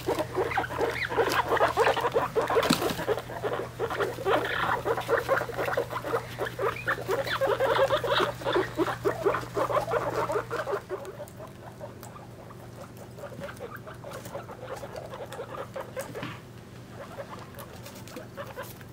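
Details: Guinea pig babies, three weeks old, alongside their mother while being weighed: dense chattering squeaks and rustling pile up for about eleven seconds, then fade to a quiet background with only a few scattered faint calls.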